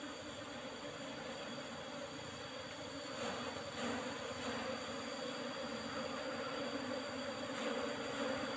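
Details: Honey harvest from an Apis cerana colony in an old box with a used asbestos-sheet lid: a dense, continuous swarm drone of Asian honey bees, growing somewhat louder and more agitated partway through, with faint scattered knocks.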